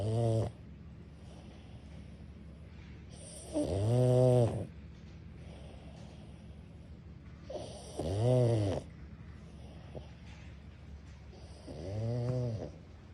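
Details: Pug snoring in an office: loud, low, rasping snores with a wavering buzzy tone, roughly every four seconds, four in the span, with quiet room hum between.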